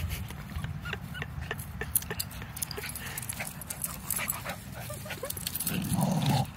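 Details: Two dogs, a pitbull and a mini Australian shepherd, play fighting: a low, gravelly growl runs under rapid clicks of claws and mouthing, swelling into a louder snarling burst near the end.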